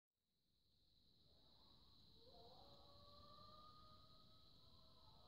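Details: Distant wolves howling at night under a full moon near a cabin in southwest Chequamegon-Nicolet National Forest, Wisconsin, in 2018 during a snowmobiling trip; several long, smooth overlapping howls, some rising and others held steady, over a constant high hiss.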